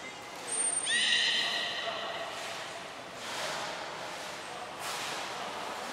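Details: Belugas Gray, Nana and Mirai during a training session at Port of Nagoya Public Aquarium on 6 August 2023: a thin high whistle, then a stacked, slightly rising squeal held about a second, followed by softer hissing sounds.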